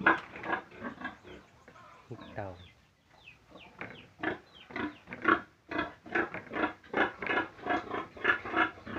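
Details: Pigs giving a busy run of short harmonic grunts and squeals, irregular and overlapping, with a brief quieter gap mid-way before the rapid calling resumes at full strength.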